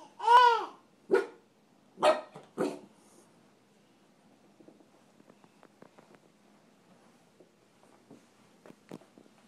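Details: Young dog Honey staring down a baby indoors: a burst of four or five sharp, high-pitched yelps in the first three seconds, the first long and arching, then quiet rustling and faint taps.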